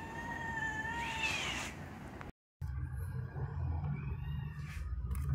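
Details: Malnourished stray cats being fed in Saudi Arabia; a drawn-out harmonic meow wavers then rises around the first two seconds, followed by a brief gap and low rumbling background noise with faint later cries.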